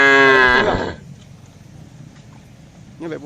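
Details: Cattle herd grazing on a wide green field: a loud moo fades out within the first second, then a quieter, short lowing call begins near the end against low background noise.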